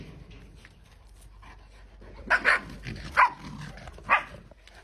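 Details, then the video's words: Playing puppies after a quiet scuffling start, then a pair of sharp yips followed by two more single yelps spaced about a second apart, with a woman's voice nearby. "Puppies playing"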